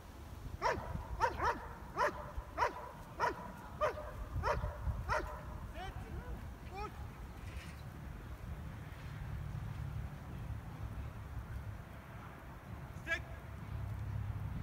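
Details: German Shepherd Stryder during his IPO1 protection routine at a trial, scoring 95 of 100 points: about eight sharp, loud barks in quick succession over the first five seconds, then fainter yelps and voices over a low background rumble.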